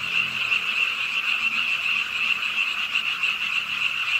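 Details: Pond-side frogs croaking together on a rainy late night in an urban park in Suwon: a short burst of dense, fast, high-pitched trilling calls running without a break over soft rain noise and a faint low hum.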